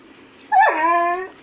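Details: Golden Retriever giving a single drawn-out vocal note, starting with a short falling slide, then holding a steady, harmonic-rich whine for most of a second before cutting off; quiet room otherwise.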